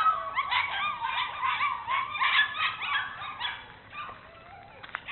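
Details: Two Bernese Mountain Dogs, Mrs. Red and Mr. Green, exploring at Cape Bernese Kennel. High, whiny whimpers and yelps slide up and down in quick overlapping bursts for about four seconds, then fade to sparse soft whines.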